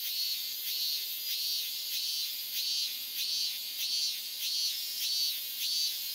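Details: A Japanese summer chorus of cicadas, called semi-shigure, likens the continuous insect song to a shower of rain. The sound is a dense, high, hissing buzz that swells and fades in steady pulses, more than one a second, with no other sounds.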